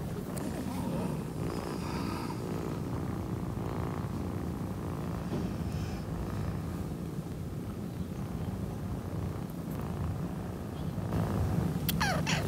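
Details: Orange tabby kitten named Mimi purring, a steady low rumbling throb running continuously with fast regular pulses, a few faint higher squeaks and rustles near the end.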